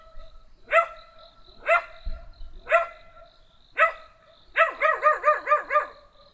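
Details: Small black dog barking, four single barks roughly a second apart, then a fast string of six yaps at the end; room otherwise quiet.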